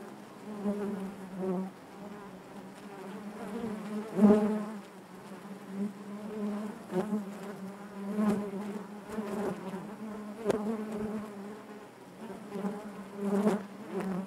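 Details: Deep, steady buzzing of honey bees in their hive, many wingbeats merging into a humming drone with harmonic bands, punctuated by brief sharp swells from individual bees flying near, strongest around four seconds.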